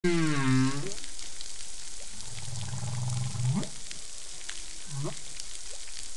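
Whale song: a deep, harmonic moan drops in pitch, followed by low groans ending in quick upward sweeps.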